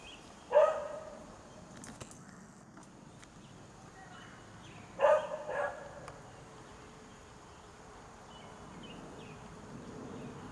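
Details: Neighbor's dog in its own yard in Quitman, Mississippi, on 13 April 2016, barking in alarm at a feral cat that would not run away; two separate harsh barks several seconds apart over steady background hiss, with faint birds chirping.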